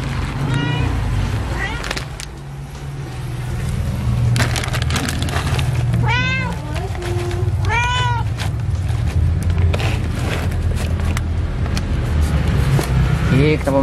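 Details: A mother cat that came to the house alone, her kittens still hidden, gives two clear rising-falling meows near the middle, with fainter meows at the start and end over steady low hum and background chatter.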